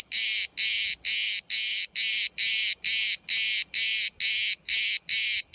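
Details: Cicada recorded from about 5 cm away in Bodrum, Turkey: strong shrill buzzing bursts, each roughly a third of a second, separated by short gaps and repeated rhythmically about twice per second.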